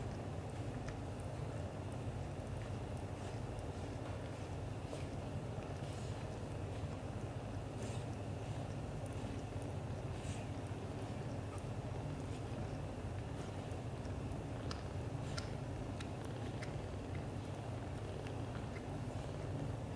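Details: British Shorthair father cat Leo, black golden, affectionate toward mother cat Mimi; an unbroken rapid throbbing purr lasts twenty seconds, with intermittent faint clicks and rustles above it.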